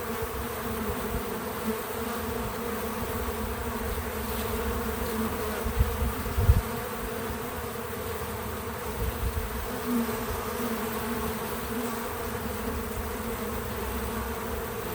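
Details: Several bees at a feeder with untouched natural audio, humming continuously in a low, even drone with layered overtones; brief low knocks around the middle and some fluctuation in the buzz as insects come and go.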